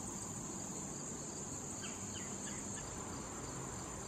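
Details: Cricket chorus beside wild tall thistle flowers in late summer, a constant thin high ringing with faint regular pulses, a low hum, and a few brief downward chirps near the middle.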